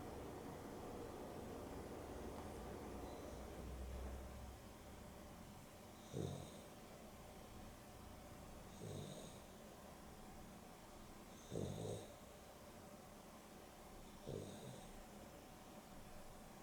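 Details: Dexter, a pet dog napping in the afternoon beside Rio (Boston Terrier and Beagle cross pair), snores indoors: four short rasping snorts about every three seconds, each with a faint hissing edge, over a steady low room hum.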